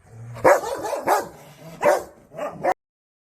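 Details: Dog as a kitten approaches to play: four short, sharp barks over about two and a half seconds, each a loud harsh burst, with quieter rumbling between them.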